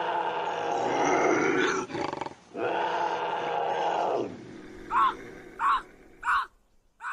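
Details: Bobcat howls and growls, described as intense and used as a deterrent to keep raccoons away: two long, harsh, wailing howls of about two seconds each with a brief growl between, then four short, sharp yowls spaced under a second apart.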